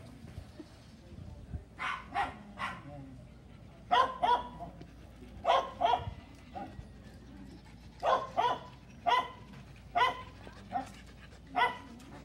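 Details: Belgian Malinois during a training session, barking in short sharp bursts, singly and in quick pairs or threes, about a dozen barks over twelve seconds, with a person talking quietly between them.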